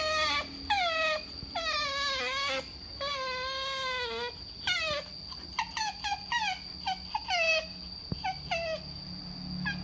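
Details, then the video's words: Otter screaming for food: long, strained squeals that dip and level off, then a rapid run of short sharp chirps, with a steady faint whine in the background. "Otters Making Strange Noises For Food Compilation 2022 - Screaming & Weird Noises"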